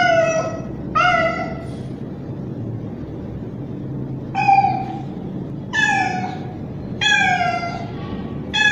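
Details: Young male street cat's mating call toward a female in heat: two quick meows, a pause of about two seconds, then four more loud falling meows, over low background noise.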